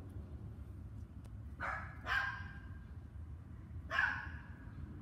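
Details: Dogs barking in an evening session that began at 7 PM on May 24, 2019 and lasted two hours; a close pair of sharp barks, then a third after a pause, over a steady low rumble.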